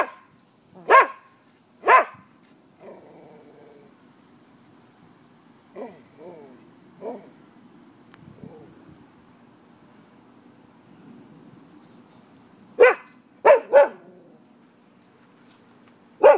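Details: Nuisance barking from neighbourhood dogs on 5 November 2015 at midday: two loud barks open, then a quieter stretch of soft yelps and murmured background, before a burst of three barks and a final one near the end.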